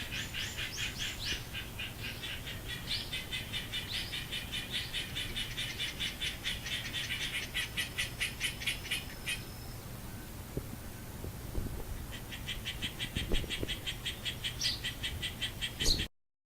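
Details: Garden frogs heard on 10 October 2014 shortly after 11:00, a long run of fast, regular high pulses that stops and then resumes, with a few low knocks and a background hum.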